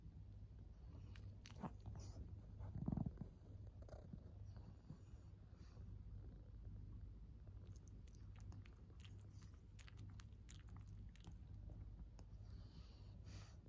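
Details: Chewing by Maria, a fawn female pug aged fourteen, in Japan in August 2024: irregular crisp clicks and crunches, densest in the second half, over a quiet room hum, with one brief louder snuffle early on.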